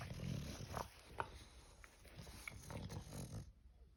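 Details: Snoring English bulldog producing low, rough rumbles and snorts at the start, then irregular snuffles and small clicking breath sounds before falling quiet near the end.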